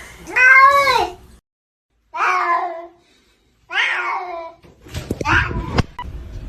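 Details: Domestic cat meowing indoors: three drawn-out, rising-then-falling meows, each about a second long and spaced by short pauses, followed by a person talking and brief knocks.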